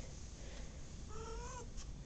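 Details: Pet cat giving a short meow of about half a second, slightly rising then falling, with clear harmonics, over a low room rumble and handling noise.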